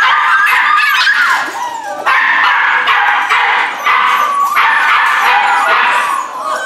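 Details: Rescue puppies, Corgi Airedale mix, producing steady shrill yips and squeaky whines in overlapping bursts, a few short barks mixed in.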